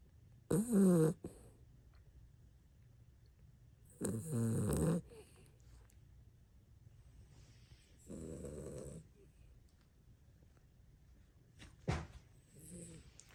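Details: A sleeping 16-year-old dog snoring heavily, with deep, rasping, harmonic snore bursts about every four seconds and a soft, short snort near the end, in a quiet room.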